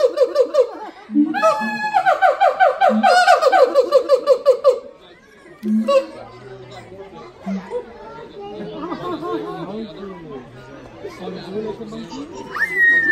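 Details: Siamang calls at the Los Angeles Zoo: a few seconds of rapid, ringing barks over low booms, then the calling fades and visitors' chatter and voices take over.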